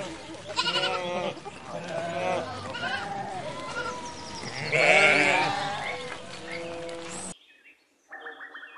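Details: Sheep bleating repeatedly in wavering, nasal bleats that overlap one another, with music playing underneath; the sound cuts off sharply near the end.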